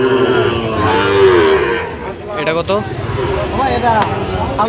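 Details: Sahiwal bull calves bought by a farmer in Khulna on 17 October 2025: a low, drawn-out harmonic moo in the opening second and a half over steady background murmur, then a man talking.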